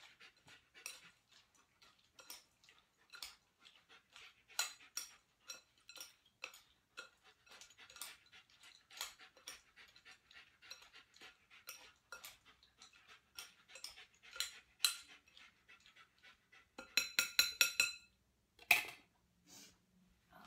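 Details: A Giant Schnauzer called Lilly waits patiently for her food in Columbia, South Carolina, during dog training. Soft hissing pants run steadily throughout, and a burst of clinking cutlery sounds near the end.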